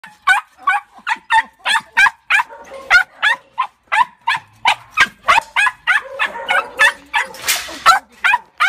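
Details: Holly, a female Tibetan Terrier rescue dog, home after four months in kennels, barks rapidly and repeatedly, sharp yapping barks coming about three per second in a steady, insistent run with faint background noise.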